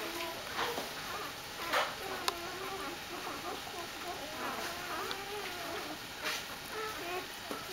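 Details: Several Dobermann puppies welcome their mother Jessica back from a walk with a steady stream of high, quavering whimpers and squeaks that overlap almost continuously, along with light knocks and scuffling.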